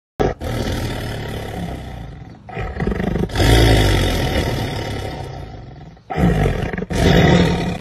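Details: Jaguar roaring in long, deep, rough bursts that fill the sound for several seconds at a time, with brief breaks between surges and a short gap before two final heavy roars.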